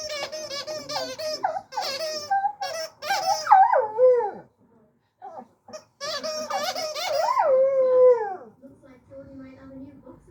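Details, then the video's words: Singing dog howling indoors: two long, drawn-out howls that waver and slide downward in pitch, each about a second or more, alternating with a person's voice and short squeaky sounds, quiet pauses between. "singing dog"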